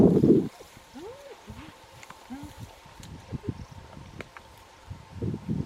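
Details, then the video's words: Wild spotted hyenas squabbling over the remains of a kill in the bush on a cool, windy day: short arched whooping and giggling calls rising and falling, several in quick succession, with a man speaking at the start and end. "clearly hear all the squabbling"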